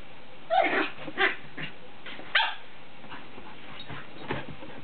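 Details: Playing together, a 10-week-old border terrier puppy and a 10-month-old whippet: three sharp, high yipping barks within the first two and a half seconds, then fainter scattered yips and scuffling.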